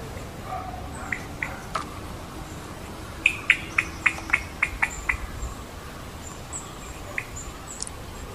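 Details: Malabar giant squirrel perched at the top of a tree, calling a rapid series of about seven hard, percussive notes in a row, preceded and followed by a few isolated clicks, against a constant hiss.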